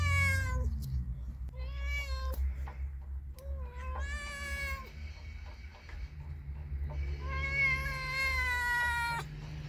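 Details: Cat meowing with stray-cat feeding context; a series of clear harmonic meows, some short and some long and drawn-out, about five calls across ten seconds over a steady low rumble of background noise.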